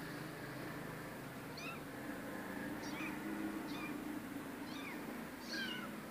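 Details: Rescue cat meowing in thin, high-pitched cries, five brief squeaky calls spaced roughly a second apart against a constant low hum.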